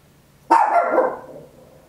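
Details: Papillon, a tiny dog, barking very loudly indoors at home: a single sharp, raspy bark with a sudden onset that fades over about three-quarters of a second, captured in stereo on an Olympus LS-11.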